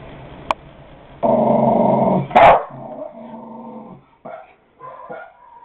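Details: Coco, a pet dog indoors, barking at a dog on a computer screen: a long growly harmonic rumble, then one sharp loud bark and softer growling after; recorded on a Kodak DX4530 digital camera.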